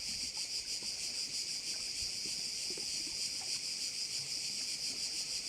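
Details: Massed cricket calls at a bay in Korčula, Croatia form a steady, piercing high hiss that pulses roughly three times per second, over quiet low background rustling.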